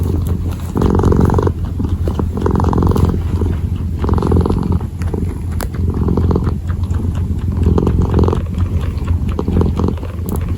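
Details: A kitten kneads and purrs: low steady drone with broad pulses around every one to two seconds, a few faint clicks on top.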